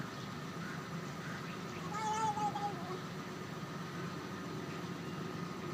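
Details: Feral kitten calling while eating: a single thin, high meow with a slightly falling tone around the middle, over a steady low rumble like an idling vehicle and a faint constant tone.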